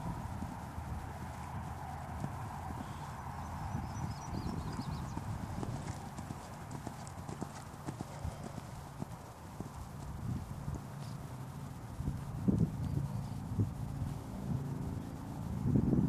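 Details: Steady clip-clop of a Dutch Warmblood's hooves, a rapid low thudding near four beats a second that runs throughout and sharpens in the last seconds, with faint speech underneath.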